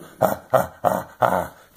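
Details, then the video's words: Dachshund giving a series of four short, rough, grunting barks at a steady pace, each a brief burst, indoors. "Dachshund love yous' are the best"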